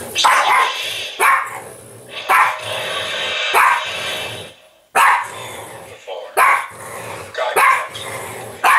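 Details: Pet French Bulldog Apple barking in play at an interactive Yoda toy: short, raspy yaps come in uneven bursts with low rumbling between them, and faint music plays in the background.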